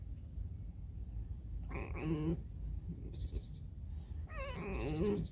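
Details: Pet fox kept at home, in the morning before breakfast: two short, high, wavering whining cries, the second longer and sliding down, with a man speaking and soft music in the background.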